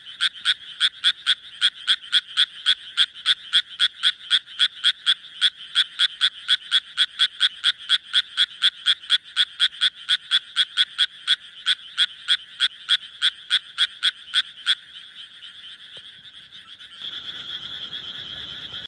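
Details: Japanese tree frog calling with rapid, regular croaks, about four per second, each a short raspy burst; the steady series runs for about fifteen seconds, then stops, followed by faint background noise.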